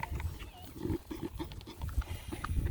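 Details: A Beagle snorts and snuffles in quick, rough, low bursts like a pig at the trough while eating a puppy breakfast.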